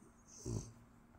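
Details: French bulldog waking up in the morning beside its owner: one short, low, rough snorting breath, and faint room noise around it.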